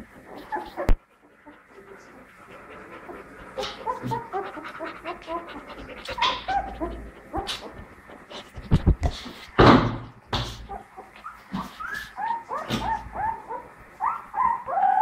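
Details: Pit Bull puppy taking its first steps, giving short high squeaky whimpers in quick irregular bursts, mixed with panting breaths and loud knocks and rustling handling noises.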